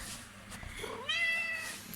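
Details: A pet domestic cat meows in excitement as wet food is brought indoors, one of two cats said to love wet food; a single harmonic meow slides upward and then holds for about half a second, with a quiet room behind it.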